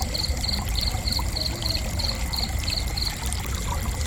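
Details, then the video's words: Cricket giving a run of high pulsed chirps about three per second, stopping after three seconds, with an ongoing low rumbling background. "Gentle Cricket Chirping"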